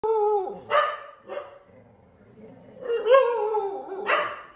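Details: Dog barking at a painting of a dog shown on TV: a few short, harmonic barks with a mid-pitched tonal core, spaced over about four seconds, with quiet gaps between.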